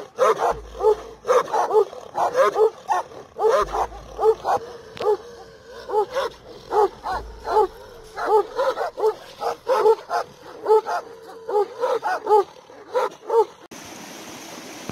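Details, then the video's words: Kangal shepherd dogs guarding nomads' flocks in Turkey bark in a rapid, irregular series of deep, harmonic-rich barks, roughly seventy per minute, continuing for about thirteen seconds before ending in a burst of hiss. "GÖÇEBELERİN SÜRÜLERİNİ KORUYAN KANGALLAR"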